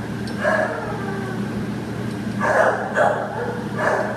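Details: American Pit Bull Terrier up for adoption, September 15, 2015: four short, mid-pitched barks, one near the start and three in the last two seconds, over a steady low mechanical hum.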